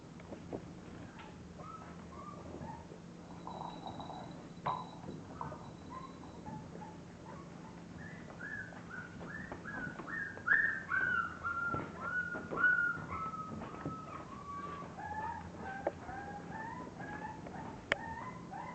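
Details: A litter of English bulldog puppies at a breeder's kennel gives high, thin whimpers and squeaks, some sliding downward in a drawn-out whine near the middle, over a faint steady indoor hum.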